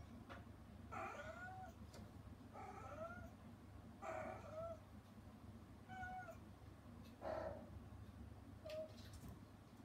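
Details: Rescued mother cat, put out of the room for disturbing her kittens while they eat weaning food behind frosted glass, meowing as she frets about them inside; six short meows, some rising then falling, about every one and a half seconds, over low steady hum.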